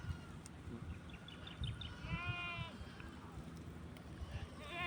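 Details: A single wavering, tremulous bleat from goats being fed malunggay leaves on a farm rises clearly about halfway through over a steady hiss of background noise and faint rustling.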